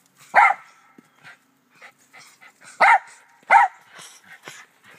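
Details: Backyard barking from Doe, a black Terrier kept with Rat Terriers Moe and Sassy: three loud, abrupt barks spaced unevenly, with faint small yips and whimpers in between.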